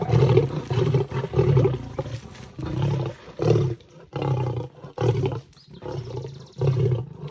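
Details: In South Africa a lioness eats impala remains in a tree as a lion attempts to climb up for a steal; low, throaty growls pulse in rapid bursts roughly twice per second, harsh and rumbling throughout.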